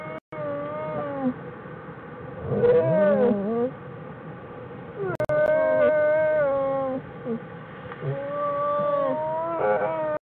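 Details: Bears calling inside a winter den on January 16, 2013: a run of drawn-out, harmonic, wavering tones that slide up and down, some bending sharply, with short gaps and a steady low hiss behind.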